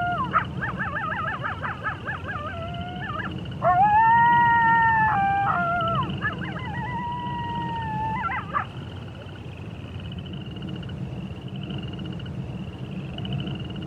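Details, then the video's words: Wolf voices wavering and warbling at first, then a loud, sustained howl held steady for about two seconds. Further falling and level howls follow before the calling fades into low background rumble and a thin high hum. "Wolf Sounds"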